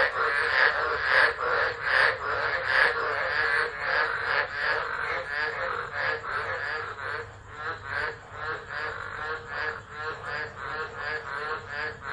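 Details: Tropical frogs calling during a tropical storm at Driver, Northern Territory, Australia, 13 December 2013, phone left recording: a dense chorus of pulsed croaks, roughly 76 pulses a minute, swelling and fading in broad noisy bursts.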